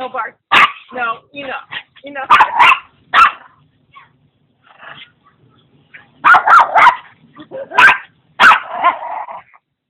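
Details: Maltese-Papillon mix named Putter romps with a pug-mix friend, Igor. A few loud barks early on are followed by a quieter stretch, then a fresh cluster of high, harsh barks near the end, with people talking.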